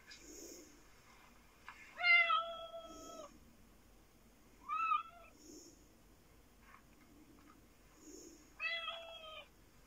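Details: Black fluffy Japanese cat watched by another cat named Sooty, indoors; three loud harmonic meows around two, five and nine seconds, each flat and slightly falling, with soft low background sounds between them.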